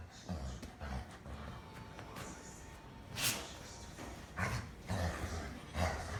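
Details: Labrador Retriever indoors in December, relaxing in a room when a sudden sneeze startles it. A sharp broadband burst around the middle, followed by several softer snorting bursts, over a low rumbling room background.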